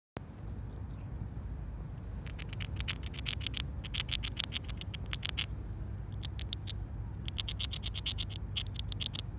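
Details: Squirrel gnawing on a hazelnut: rapid, crisp crunching clicks in close bursts, starting after a quiet second and running almost continuously to the end, over a low steady background hum.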